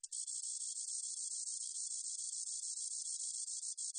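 A spotted meadow katydid gives a steady, high, hissing buzz with a fine ticking texture.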